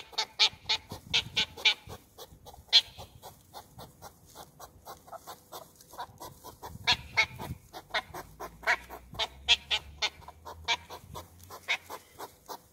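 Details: West European hedgehogs in loud courtship at Olomouc, 2 July 2019: rapid series of sharp, huffing snorts, about two per second, uneven in loudness with some stronger bursts, over a quiet low rumble.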